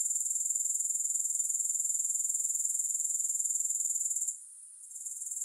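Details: Grasshopper chorus of sharp, high rhythmic pulses around four per second, stopping abruptly near the end and faintly returning; a music-free relaxation track.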